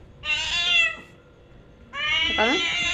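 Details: Cat with a loud voice, two drawn-out, strained meows about a second apart, with a woman's voice briefly audible over the second one.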